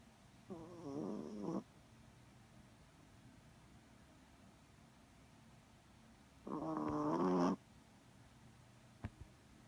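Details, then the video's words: Chihuahua snoring while asleep indoors: two rasping, buzzy snores about six seconds apart, each roughly a second long, with quiet breathing between and a faint click near the end. "Snoring chihuahua!"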